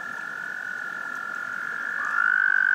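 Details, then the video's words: Frogs' love song: a steady, high, even trill held without a break, with a second caller joining near the end on a slightly higher, louder note. "Frogs Love Song"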